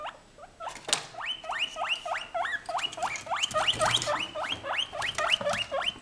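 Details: A white female guinea pig kept as a pet, not asking for food, calls with a rapid run of loud, shrill upward-sweeping squeals repeated several times a second, steady and insistent throughout.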